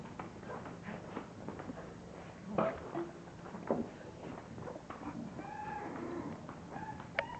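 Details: English bulldog puppies from one litter at a breeder's kennel let out short squeaks and brief whines, with a few soft thuds and low rustling in an indoor room.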